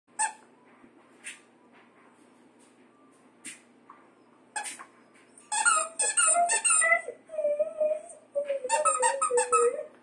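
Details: Kaya, a red and white female Siberian Husky, sings while squeaking her toys indoors; sharp toy squeaks open, followed by wavering, whiny vocal tones rising and falling in quick, uneven bursts alongside repeated high squeaks.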